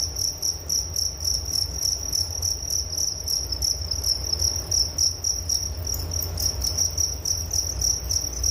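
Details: High, rapidly pulsing cricket chirps roughly 220 a minute, sustained and evenly layered, heard as a calming insect chorus with a quiet low hum beneath.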